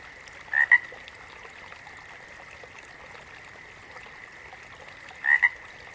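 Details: Frog giving two separate calls, one near the start and one near the end, each a pair of short, sharp, upward-flicking notes, with a quiet continuous drone in between.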